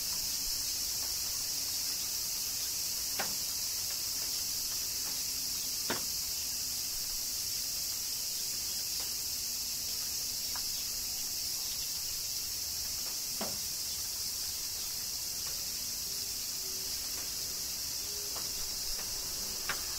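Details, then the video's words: Cicadas in summer rain in Kyoto, Japan, keep up a constant high hissing drone, while light raindrop ticks fall irregularly, a couple every few seconds, across the stretch. "Cicadas Summer Rain - Zen Sounds of Kyoto, Japan"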